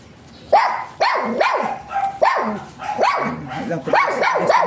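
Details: Small-type Pomeranian Jinbie barks steadily, about eight shrill, upward-arching yaps in under five seconds, some doubled close together, over soft background music.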